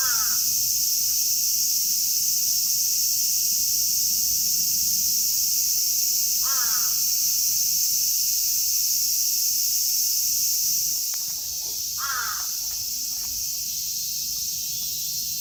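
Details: A dense chorus of Platypleura kaempferi, Graptopsaltria nigrofuscata and Hyalessa maculaticollis cicadas in Kitatama District, Tokyo, Japan, makes a steady, high, hissing drone, with a few crow caws now and then.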